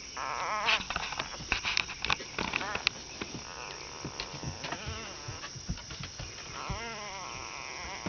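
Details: Four-day-old Basset Hound puppies making squeaky, wavering whimpers and small squeals in short bursts, mixed with soft clicks and rustling, with a French-speaking voice nearby.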